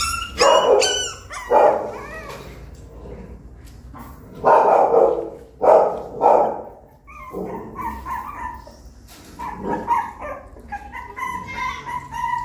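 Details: While a puppy learns to climb into the nest, loud barking bursts come in clusters, then give way to softer, high, wavering whines and squeaky yips near the end.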